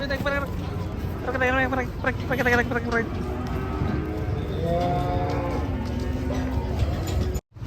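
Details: Sacrificial cattle being unloaded from a truck at a market: drawn-out lowing moos amid loud shouting men, with a steady vehicle rumble underneath and a brief cut near the end.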